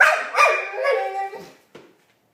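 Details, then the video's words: Marley the dog gives one continuous Chewbacca-like grumbling growl-moan with a wavering pitch, lasting about one and a half seconds, followed by a brief short huff. "Marley making noises (chewbacca dog)"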